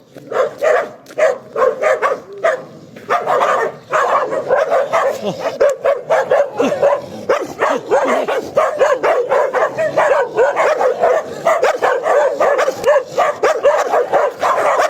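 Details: Dog barking in rapid, dense bursts, sharp mid-pitched barks and yips following one another almost without pause for about fifteen seconds, with a short lull near the four-second mark.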